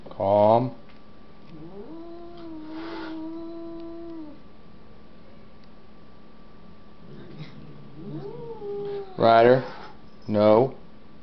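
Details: Indoor fight between a resident cat and a visiting cat; drawn-out wavering yowls rising and falling in pitch, broken by sudden loud harsh bursts near the start and end, with a person's voice also present.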